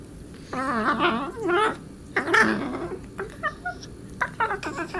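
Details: Cat Darla, playing with Marvin, produces strange alien-sounding noises: two warbling, undulating, harmonic calls, each about a second long, then a quicker series of short rising chirps and trills.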